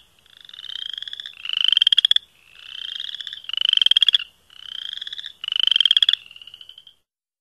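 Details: Chorus frogs calling: pulsed, rising trills, each about a second long, alternating loud bright trills with softer buzzy ones, six bursts in quick succession over a quiet background.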